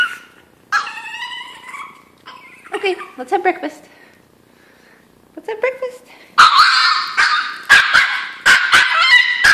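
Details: A hungry Chihuahua named Chino crying before breakfast indoors: strained, wavering whines and yelps rising and falling, a quiet gap midway, then louder harsh bursts and sharp yips near the end; a person speaks briefly.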